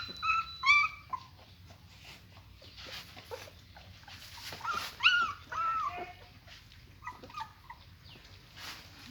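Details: German Shepherd puppies, eyes not yet open, placed with their mother to nurse: high, thin whimpering whines with rising and falling harmonic tones in short bursts, clustered near the start and middle, with soft rustling between.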